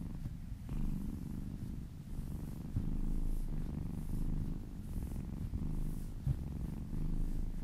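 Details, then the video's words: Kitten purring under a gentle massage, a deep continuous rumble that swells louder after a short quieter opening, with rhythmic breath pulses and a faint tap. "Purring kittens"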